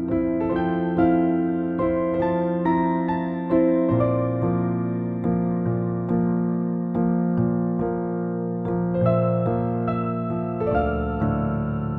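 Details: Gentle electric piano music plays steadily with sustained chords and no animal sounds.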